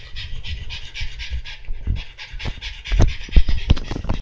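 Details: Heavy rhythmic panting from Monaka, a French Bulldog busy playing with a bowl; rapid, breathy huffs come nearly three per second, with a few low thumps as the bowl is knocked about.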